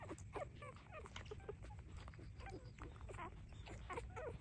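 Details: Puppies three days old squeak while suckling at their mother: brief, thin, high squeals scattered in quick succession, fairly faint against steady low background noise.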